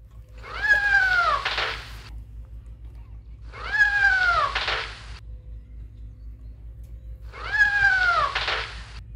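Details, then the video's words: Three similar meows from a cat among kittens and farm animals outdoors, each sliding downward and ending breathily, repeated about every three and a half seconds over a constant low hum. "Cat Meowing"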